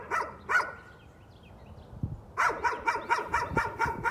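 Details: Nuisance barking from a dog: a pair of sharp barks, a pause of nearly two seconds, then a steady series of roughly eight rapid barks.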